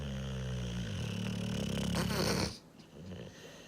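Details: Sunny, a sleeping German boxer, snores in a deep, rattling rumble with a low buzzy tone that swells for about two and a half seconds, then fades to quiet breathing.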